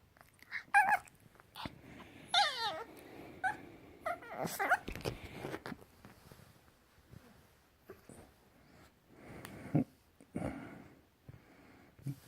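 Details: Puppy making weird noises, alternating high sliding whines and squeaks with clicky, rough growling and snorts, irregular and busy at first, then sparser.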